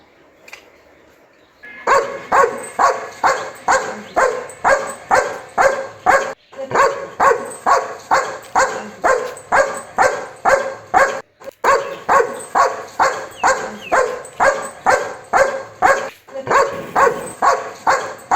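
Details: Dog barking steadily in a long run of short, sharp barks, about two per second, with brief pauses near six and eleven seconds before the barking resumes.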